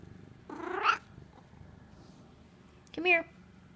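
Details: Talkative pet Egyptian Mau female cat gives two short meows, the first rising and a little longer, the second brief, with a quiet pause between them and a woman speaking softly nearby.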